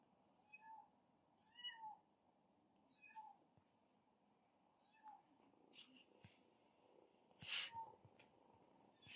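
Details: Kittens fighting, two brothers named Zero and his sibling, giving a series of short high mewing calls about every second, followed by a louder squeal near the end, quiet indoor background.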